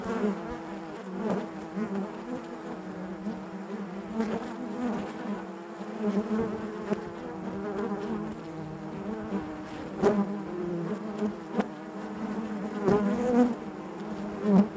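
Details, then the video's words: Honey bees humming inside their hive: a dense, steady drone built from layered wingbeat tones, swelling and fading slightly, with occasional sharp clicks and taps from within the colony. "bees therapy hive natural buzzing sound"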